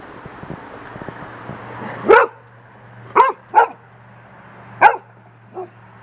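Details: Lacy, a young golden retriever on a deck, barks at a large bird feather blowing in the wind, scared of it; four sharp barks spaced about a second apart with a softer fifth, steady low hum and faint wind behind.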